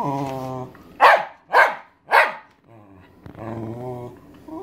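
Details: Maggie, a 13-year-old Welsh Terrier, barks because she wants her owner's dinner; three loud, sharp barks about half a second apart, framed by a person's speaking voice.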